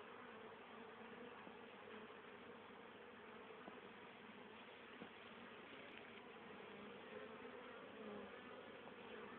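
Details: Many honey bees buzz in a dense, steady drone with layered wingbeat hum on October 10, 2010, still very active late in the year, bringing home pollen and nectar for winter stores.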